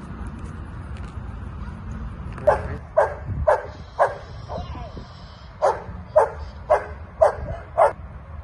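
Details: Female Australian Shepherd in a shelter awaiting adoption, barking in two bursts of about five sharp barks each, roughly twice per second, over low background hum and faint human voices.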